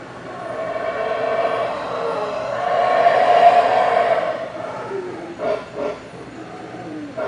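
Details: Howler monkeys roar in a deep, hoarse chorus that swells steadily to a loud peak mid-way, then breaks into short gruff barking bursts as it fades.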